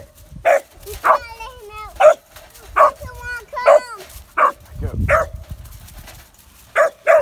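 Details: Kemmer Cur puppy, three and a half months old, with its first caged squirrel, gives about nine sharp, bright barks in uneven bursts, with wavering whine-like tones and people talking between them.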